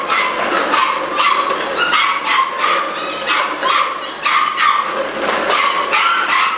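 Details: Malinois puppies aged eight weeks, July 2015, bark in a rapid, raucous jumble of high-pitched yaps and squeals, several voices calling over one another without pause.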